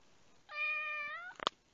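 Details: A rescued domestic cat indoors gives one drawn-out, level, harmonic meow lasting under a second. A quick burst of sharp clicks or taps follows in a quiet room.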